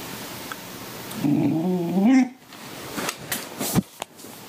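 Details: A female Redbone Coonhound puppy gives a wavering, moaning whine while begging for guacamole.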